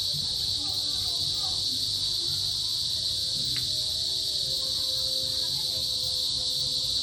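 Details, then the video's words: Small cicada species calling in an afternoon of the rainy season, males buzzing to attract females; a dense, steady, high shrill buzz holds without pause throughout, with faint low background rumble. "Buzzing Cicadas Envelop The Afternoon!"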